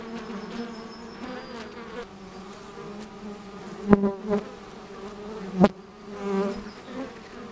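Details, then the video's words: Bees working at an apiary: a low steady hum of honey bees, with individual insects zooming close past at about four and five and a half seconds, giving louder, sharp passing buzzes that swell and fade. "Пасіка, бджілки працюють"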